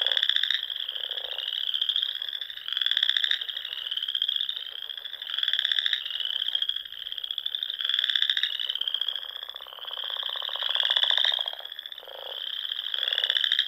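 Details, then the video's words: Spring chorus of frogs from the rolling dunes and ponds of the Sandhills, Nebraska, at dusk; rhythmic bursts of rapid trilled pulses roughly every second or two over a continuous high-pitched ringing drone, no other sounds. "RELAXING SOUNDS OF FROGS"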